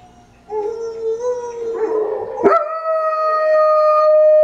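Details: German Shepherd howling along with timber wolves: long sustained tonal howls holding steady, then a brief noisy burst and a higher drawn-out howl with clear harmonics rising into the end.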